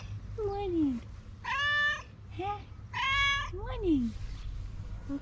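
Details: Domestic cat meowing at home: two strong, sustained meows alternating with short downward-sliding cries, about five calls in all, over a low background rumble.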